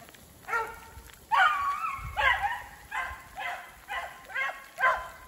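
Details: Two beagles trailing a snowshoe hare through snowy woods in sleet and rain: a steady run of loud, drawn-out bays, roughly one every second, each with a slight falling tail.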